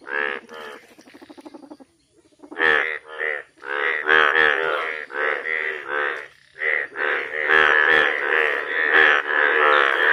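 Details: Yellow frog giving loud, harsh, harmonic-rich croaks in rapid overlapping bursts, several per second, after a softer buzzy opening run and a short pause; a dense, raucous chorus-like stretch continues to the end.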